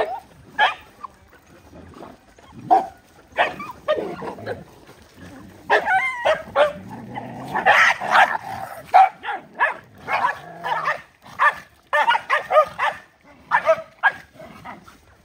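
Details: Several poor dogs fighting over food they have been given: irregular snarls, harsh barks and yelps throughout, some overlapping, with a low growling stretch in the middle.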